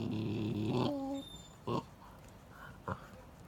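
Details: Akita dogs contesting a turtle bone, an adult female holding it while a male and another dog back off; a low, drawn-out harmonic growl for about a second, then two short sharp bursts in a quiet indoor setting.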